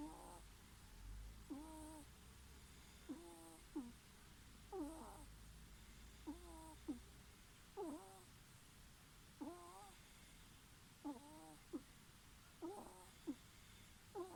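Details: Snoring ferret, a run of gentle nasal squeaks, each breath a short rising-falling whine followed by a quicker catch, repeating steadily about every one and a half seconds against low background hiss.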